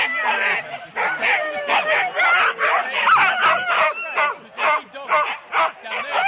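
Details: At the start of four-dog Husky team runs in Rendlesham, January 2016, captured on analogue cassette, a pack yaps rapidly, more than two sharp calls a second, with whimpering and howl-like slides woven through the din.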